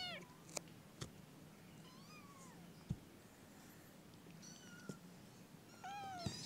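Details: Kittens in a group, several short high meows scattered across the clip, some rising then falling, with soft clicks and a low steady hum underneath.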